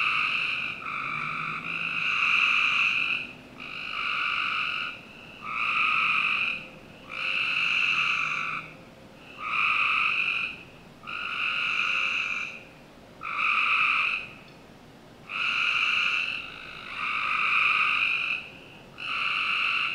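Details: Frogs calling on a summer night in a Northern Virginia home's backyard: loud buzzy trilled bursts, each about a second long, repeated roughly every two seconds with short gaps between them. Faint low hum underneath.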